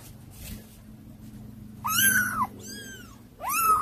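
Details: Kittens described as hard to control, indoors: after a quiet start, two clear arched meows rise and fall, followed after a pause by a third, each about half a second long, bright and high-pitched over a faint low hum.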